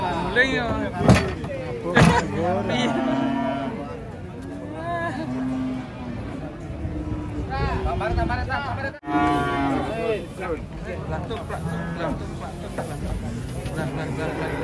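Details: Sleepy-looking cow being unloaded from a truck gives low, drawn-out moos with a rich harmonic ring, over a busy background of human voices, shouting and handling noise.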